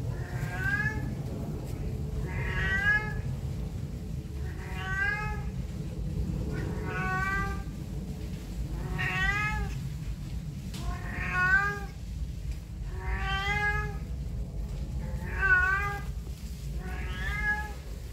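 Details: A pet cat that keeps meowing whenever humans are near, producing eight evenly spaced, arching harmonic meows roughly every two seconds over a constant low rumble.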